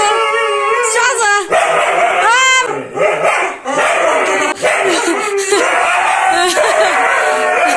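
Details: Siberian Husky named Matong, carried on a man's back on a roller coaster and frightened, gives wavering, pitch-bending howls and yelps in short bursts, mixed with loud human shouting and screaming and steady ride rumble.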